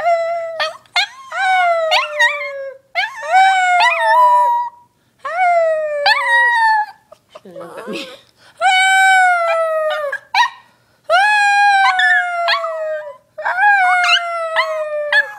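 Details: Female puppy howling together with her owner at home: long drawn-out wavering howls, each sliding gently downward, repeated about every two seconds with short gaps, with one brief low grumbling sound midway; two voices may overlap.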